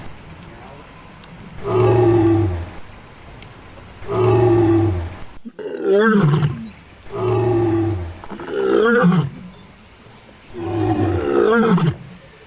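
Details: Female lion roaring to defend territory and signal her position: six deep, resonant bursts spaced roughly every one to two seconds, long moaning roars alternating with rougher, wavering grunts.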